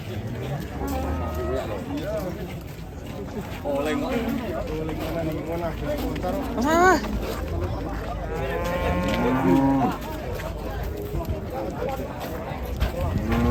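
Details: Enraged head of cattle after running into a passenger car: several bellowing moos with rich stacked harmonics, one sharp rising bellow midway and a long moo near the end, over a crowd of chattering people.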